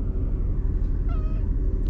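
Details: A lonely stray white cat named Shiro, living among tetrapod breakwaters, gives one short, thin meow, a faint wavering tone lasting under half a second, nearly buried in a heavy, steady low rumble.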